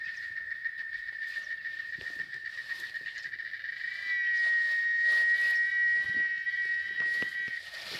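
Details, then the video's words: Cicadas (chicharras) calling in Oaxaca, Mexico, a continuous shrill, tonal buzz that holds an even pitch and swells louder midway, over light crackling outdoor sounds. "El Sonido De Las Chicharras"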